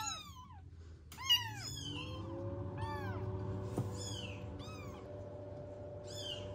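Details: Newborn kittens rescued from the street without a mother meow from inside a heated box at home: thin, high, falling cries in irregular bursts, over a faint hum and a single knock.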